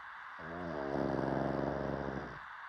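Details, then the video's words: One drawn-out, rattling pug snore of about two seconds, gravelly and low, swelling slightly in the middle before fading, over faint background hiss. "DOG Snoring"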